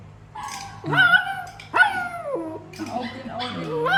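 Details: Pet puppy, described as fixated on its owner's phone instead of toys, gives three high whining yelps, each sliding sharply downward in pitch, short gaps between them, while people chatter nearby indoors.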